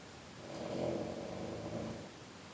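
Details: {'caption': 'One soft, low, pulsing purr from the cat GreatGrandPa, swelling and fading over about a second and a half in a quiet room.'}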